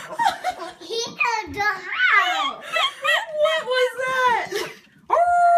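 A Siberian Husky puppy tries to howl in wobbly, yodelling squeals that slide up and down.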